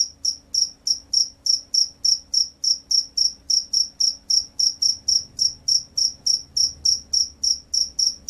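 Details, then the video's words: Jangkrik sawah, a field cricket, delivering clean shrill chirps at a steady pace of about three each second, roughly twenty-eight pulses in total, with a soft low rumble in the background. "SUARA JANGKRIK SAWAH"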